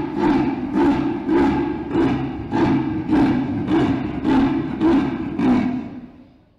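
An Indian leopard gives a deep, rasping sawing roar: about ten hoarse grunts, close to two a second, like a saw drawn back and forth.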